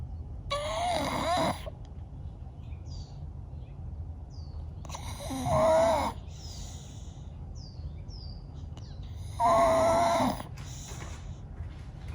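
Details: Bella, a sleeping blue Staffordshire Bull Terrier, snoring loud: three long wheezy snores about four to five seconds apart, each a rough rumble topped by a whistling nasal tone, with quiet breathing between them.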